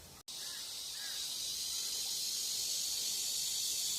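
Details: Evening cicada singing early in the season, before other cicadas, by a country house in Geumnam-ri along Bukhangang-ro; after a brief cut, a continuous sizzling high buzz builds and holds, with faint soft chirps underneath.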